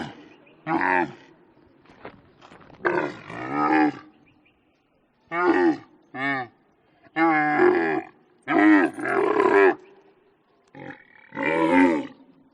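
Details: Camel producing a run of about ten short, throaty bellowing groans, some clipped and some drawn out, with gurgling pauses between bursts.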